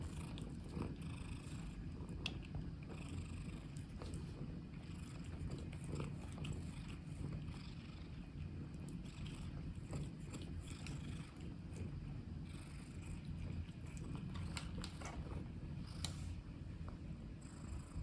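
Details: Black long-legged Munchkin cat lying on a keyboard, purring in a soft, steady, low rumble that continues without a break, with faint scattered clicks.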